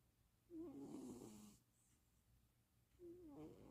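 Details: Napping pet cat in Austin, Texas, on 2026-04-07, giving one wavering, higher nasal snore of about a second, then a pause and the start of another shorter wheezy breath.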